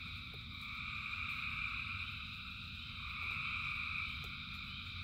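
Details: Thousands of frogs singing through rainfall: continuous layered high-pitched trilling that brightens twice, with low rain rumble and a few distinct water-drop ticks.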